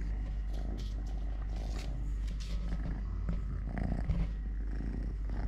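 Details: Purring of Totoshka, a three-legged pet cat, during eating, play and walking; a steady low rumbling purr fills the clip with faint handling noises and scattered clicks above.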